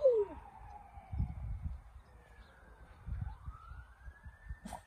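A Norwegian Elkhound gives long, smooth howls that sag in pitch and hold steady between breaths. A police siren rises and falls in the background, and the dog's voice blends in with its sweeping wail.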